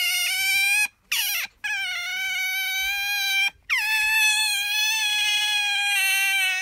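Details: ['Pet otter giving loud, shrill, drawn-out squealing calls, nearly continuous with a few short breaks, the tone holding level and slightly wavering, rich and piercing throughout.']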